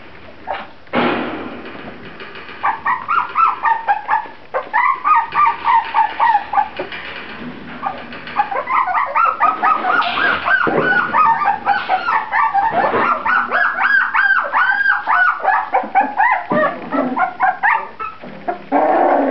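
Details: Litter of Grand Basset Griffon Vendéen pups crying together: squeaky, rising-and-falling whimpers and yips pour out almost without pause. They start sparse, then build into a dense, continuous chorus of piping calls.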